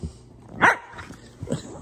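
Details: Sassy female German Shepherd puppy letting out a single sharp bark, followed by a fainter short sound a moment later, against a quiet indoor background.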